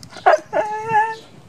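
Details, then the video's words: Kojak the dog gives two sharp yips, then a thin, wavering whine that rises and fades in about a second, while a person in the room coaxes him to talk. "Kojak howling"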